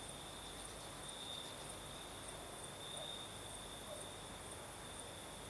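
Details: Crickets singing at night in the south of Crimea with a night breeze: a steady high trill near 4k and a shimmering band higher up run without pause over broad wind hiss.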